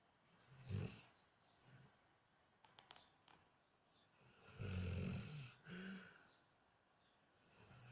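A sleeping Weimaraner snores in low, rumbling breaths, each snore rasping and fluttering.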